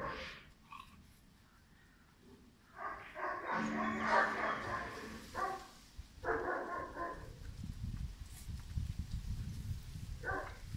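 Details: Five-month-old German Shepherd puppy Pirat, a sport or police-work prospect, lets out a cluster of clipped barks after a near-silent start, two more short volleys, then a final single bark over low rumbling background.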